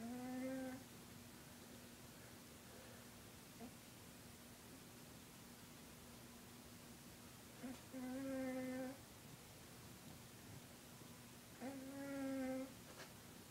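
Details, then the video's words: Lucifer, a 20-pound pet cat, snoring: three drawn-out, humming, tonal snores about four seconds apart, each lasting roughly a second, with quiet breathing between. "Lucifer the Cat snoring"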